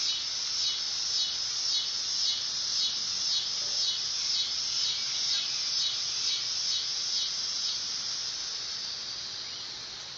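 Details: Dog-day cicada (Neotibicen canicularis) singing a loud, high, buzzy drone with a rhythmic pulse that swells roughly twice a second, fading slightly toward the end.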